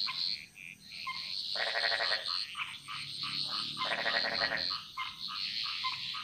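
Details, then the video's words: Frogs in a Bali jungle chorus: two long rattling pulsed croaks about two seconds apart stand out over a steady high trill and scattered short calls from other frogs. "Frog Mantras - Relaxing Sounds Of Bali"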